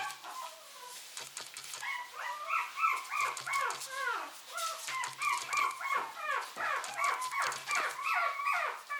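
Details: Short-haired mini Chihuahua puppies, 70 days old, male and female, in assorted colours: several high, bending whines and yelps overlap one another, a few every second, with sharp squeaks and some low rumbling beneath.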